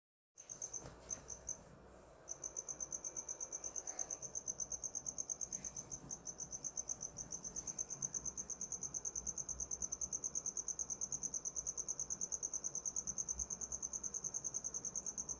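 A cricket gives a steady, high-pitched trilling chirp, pulsing rapidly and continuously.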